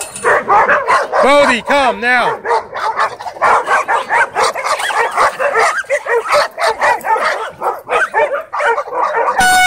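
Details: Dogs at a dog park, tense because several were kept on leash inside, break into a dogfight; loud overlapping barks and growly yelps pile up continuously, with a brief horn blast at the very end.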